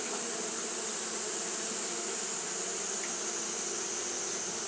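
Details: Continuous fanning buzz of Japanese honey bees during hot weather, a thick droning hum layered with a strong high hiss, even in loudness with no pauses.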